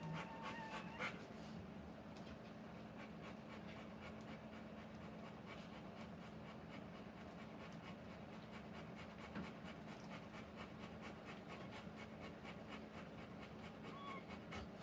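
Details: Rottweiler in labour, giving birth to puppies, panting indoors: soft, rapid breathy puffs repeating steadily throughout, fairly faint, over a constant low electrical hum.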